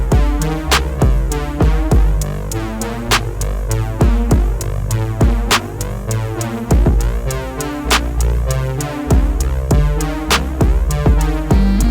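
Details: Electronic music with a steady drum-machine beat, deep bass and synthesizer, with no animal sounds audible.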